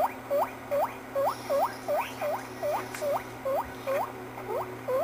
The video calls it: Smokey, my guinea pig making silly sounds!